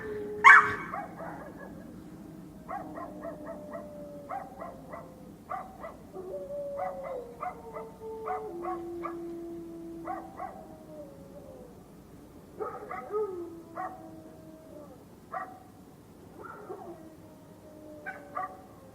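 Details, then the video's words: Dogs fighting, with a loud yelp at the start followed by repeated short sharp yips and snarls every second or so over long, steady, whining growl tones that step in pitch; no other sounds stand out. "dogs fighting"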